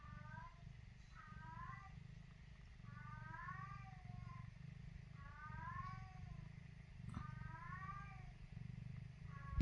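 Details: A Maine Coon kitten on its first day, the only kitten born in its litter, gives thin, rising-falling mews every second or two over a low hum.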